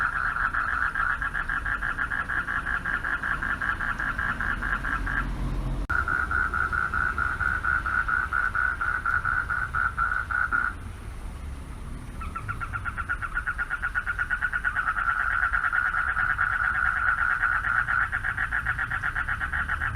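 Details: Male frogs at a pond at night calling out for mates; continuous rapid trilling in bouts, pausing about two seconds near the middle before resuming, over a low hum of distant vehicles.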